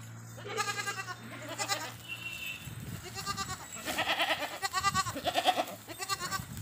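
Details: Desi goats on an Indian goat farm bleating repeatedly, wavering, vibrato-laden bleats overlapping one another in quick succession, several animals calling, with a steady low hum and a brief high tone in the background.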